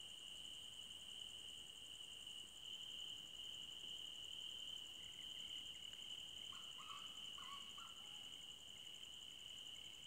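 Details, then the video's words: Night-time forest crickets keep up a constant, even, shrill trilling on two high layers. After about six seconds, brief lower chirring phrases from another caller come in several times. "Night Forest Sounds For Sleeping - Cricket Sounds For Sleeping"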